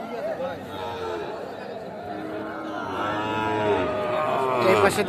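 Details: At Aftabganj cattle market, Nawabganj, Dinajpur, 8 October 2024, Sahiwal bull calves for sale: a long, harmonic, rising-then-falling bellow builds through the second half amid constant chatter of traders and buyers.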